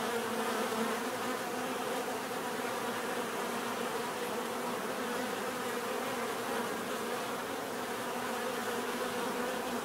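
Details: Steady, full buzzing of many bees at close range, a rich continuous drone with layered humming tones and no breaks.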